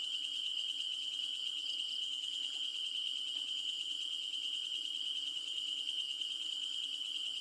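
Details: A Malaysian bush cricket heard at night gives a steady, high, ringing trill that runs without a break.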